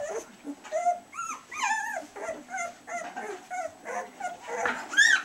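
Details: Two-week-old collie puppies squealing and whining: rising-and-falling squeaky cries come in short bursts about every half second, some pups louder than others, ending in a sharp, high-pitched yelp.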